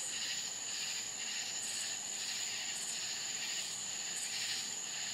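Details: Florida country crickets calling at night, one unbroken piercing tone overlaid by pulsing trills that strengthen in bursts about every second or two.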